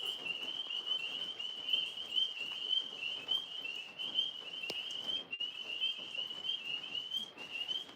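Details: After a rainy day, tree frogs up in a maple tree trill steadily in a high, pulsing chorus that barely pauses, while two Alaskan Malamutes are nearby.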